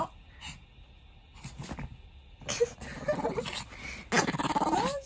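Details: Chihuahua Kohaku, a pet dog begging and openly shifting attitude between dad and mum, gives low rumbling growls followed by a short, rising, curved whimper near the end, with people talking over it indoors.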